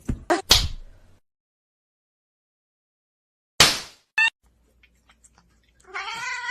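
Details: Domestic cat giving a short, wavering meow near the end, rising then falling, after a few sharp clattering bursts and a long quiet gap; no other animals heard.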